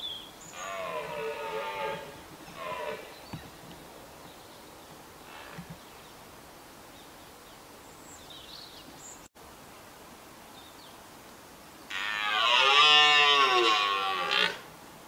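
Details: A red deer stag in Richmond Park gives harsh, groaning roars, two early on and a longer, louder one at the end.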